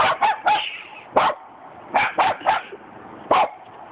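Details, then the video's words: Cockapoo dogs barking at a cement dog statue: sharp, high yappy barks in quick clusters of two or three, with short pauses between bursts. "Funny Cockapoo Dogs Barking @ Cement Dog Statue"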